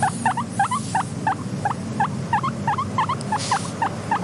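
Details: Soft wheeking of a contented guinea pig, a rapid series of short upturned squeaks, roughly three per second and fairly evenly paced, set against a constant low background hum of quiet nature ambience.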